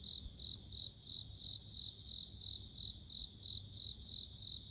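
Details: High tinkling pulses from a bell cricket, close to three every second in an even rhythm, with faint low-pitched background noise.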